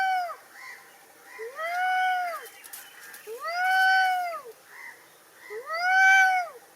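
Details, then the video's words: Angry cat making harsh, drawn-out meows, each an arched wail rising then falling, about one every two seconds with quieter short mews between; no other sounds. "cat is making horrible angry sounds ~ meow meow noise by angry cat"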